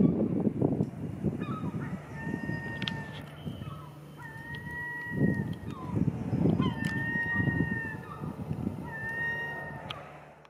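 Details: Atlantic grey seals hauled out at a growing beach colony on a February afternoon, 2024; several long, steady, level wailing tones of about a second each follow one another over a low, rumbling surf and wind background.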